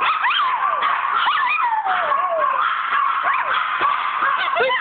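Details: Pet dog howling indoors while a woman repeatedly asks about the kitty; wavering, sliding howls and yips rising and falling, continuous over her voice.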